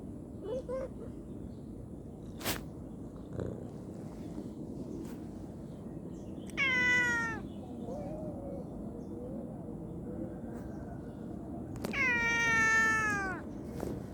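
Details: A cute kitten playing with a person gives two long, high, wavering meows about five seconds apart. Soft taps and knocks are heard between them, over a faint hum.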